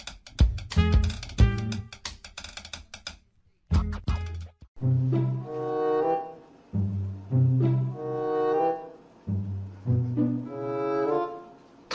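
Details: Music carries the whole stretch, with instrumental notes at first and then repeated tonal phrases, and no animal voice is heard.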